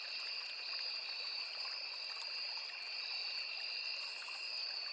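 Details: Insect chorus of crickets in a riverside forest, two sustained high-pitched buzzing tones held without a break, layered over the even splashing murmur of a small stream.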